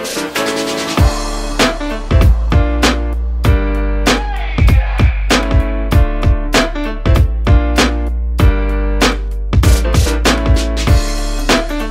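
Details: Upbeat funky music with sharp, regular drum hits and layered instruments fills the whole stretch, with no animal sound.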